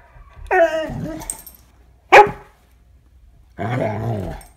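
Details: Vizsla facing off with a cat indoors: a short whining bark, a sharp snap of sound, then a gruff, growly bark, while a man firmly orders the dog to get back.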